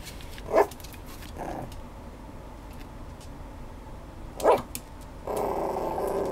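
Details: Schnoodle dog giving two short, sharp barks about four seconds apart over a low indoor rumble, ending with a burst of broad hissing noise.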